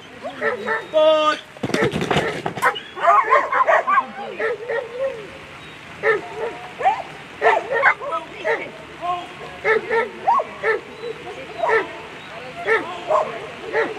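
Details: German Shepherds at a world agility championship: a loud crashing burst early on, then a long run of sharp barks repeated roughly every second, with voices mixed in.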